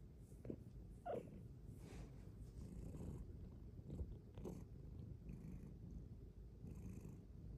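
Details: Bengal cat Luxey, a female, purrs steadily while curled up cuddling inside her cat cave; a deep, continuous low rumble with a few soft clicks and breathy rises.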